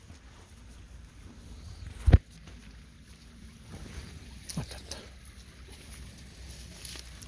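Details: Low outdoor rumble with a sharp thud, a few soft knocks and light rustling; no animal voice is heard.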